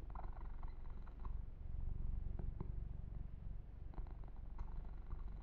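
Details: Male kitten purring during a massage with fur grooming, recorded ear to ear for relaxation: a steady, low rumbling purr with soft rhythmic pulses and occasional light rustling and clicking from handling.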